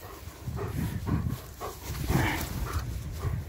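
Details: German Shepherd playing with a ring toy while a person speaking Russian tells it to give the ring back; low, rhythmic huffing bursts repeat roughly every third of a second over steady background noise.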